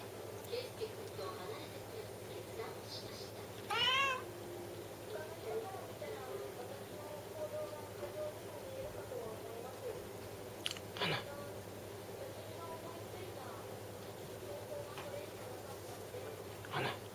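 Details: Domestic cat purring before sneezing: a steady low rumble runs throughout, broken by a brief rising meow near four seconds and sharp, sneeze-like bursts around eleven and seventeen seconds.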